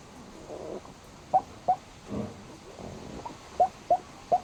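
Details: Sleeping black pug alternating soft, rasping snore-like breaths with short squeaky chirps, two early and three close together at the end, in a quiet room; the sounds may be snoring or hiccuping.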